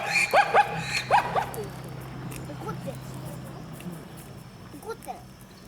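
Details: Zebra calling: a quick series of harsh, rising yelping barks in two bursts at the start, then quieter, scattered squeaky notes as the calls fade over background hum.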